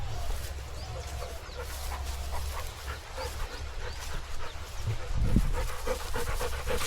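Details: Shasha, a Rottweiler out working in a paddy field, panting in quick, uneven breaths, about four per second, over steady low rumbling wind noise, with a few faint scattered sounds.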